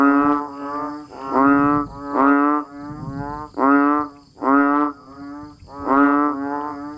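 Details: Natural rainy-season calling of banded bullfrogs and frogs at a Thai rice-field village: about eight reedy, harmonic honks, irregularly spaced, louder and softer callers overlapping over a faint continuous hum.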